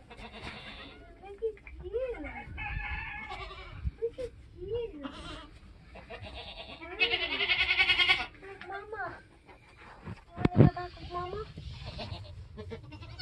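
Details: Nigerian Dwarf goat kidding on a homestead, with short, bending bleats in bursts amid rustling, a loud knock near the end and people speaking quietly nearby.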